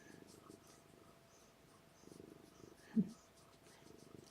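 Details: A pregnant female domestic cat purring during labour indoors: a faint, low rumbling purr in soft rhythmic pulses, with quiet human speech and a brief louder knock near the third second.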